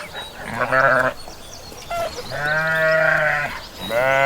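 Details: Sheep on a farm bleating, three wavering harmonic bleats of under a second to over a second each, separated by short gaps.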